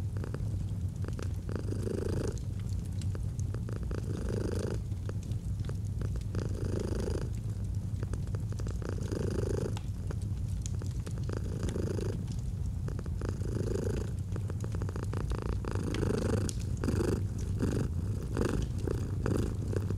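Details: Domestic cat purring steadily, a low continuous rumble that swells in pulses about every two seconds with each breath, over the snapping crackle of a fireplace.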